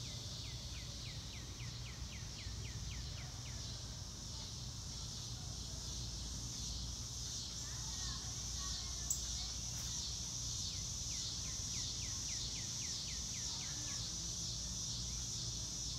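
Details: A continuous high, buzzing cricket chorus fills the air outdoors, while a bird adds runs of quick descending whistled notes at the start and again after the middle, with one sharp click partway through and low rumble beneath.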